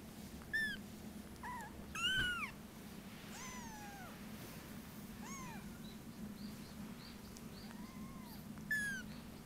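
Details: Munchkin kitten, born 19 November 2017, mewing repeatedly indoors; thin, high, arching meows, some rising then falling, about seven calls over nine seconds with short pauses, over a steady low hum.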